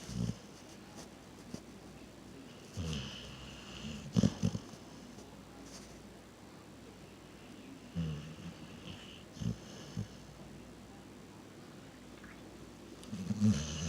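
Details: Sleeping dog named Reese snoring: short, low snorts and rumbles recur every few seconds, some louder bursts around four and thirteen seconds, over a steady quiet room hiss.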